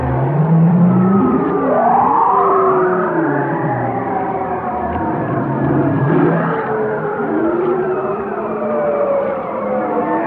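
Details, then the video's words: Whale song: long gliding moans, a low hum rising then falling near the start, then swooping upward and downward tones layered in several overlapping voices, steady and continuous with no other sounds. "chant des baleines"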